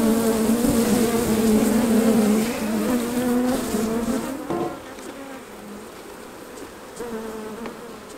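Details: Honey bees swarming near hives as honey is taken off, a dense, loud buzzing drone that wavers slightly in pitch, then drops away after about four seconds to a thinner hum with a few knocks.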